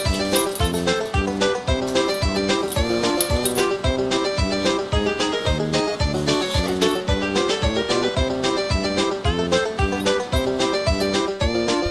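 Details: Lively bluegrass-style banjo and guitar music plays throughout with a steady, even beat and no audible animal sounds.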